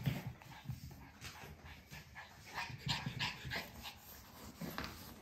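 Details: A white puppy named Kiiro-kun, listed by a dog breeder, pants softly in quick, uneven breaths of about three per second, with faint rustling and a quiet indoor background.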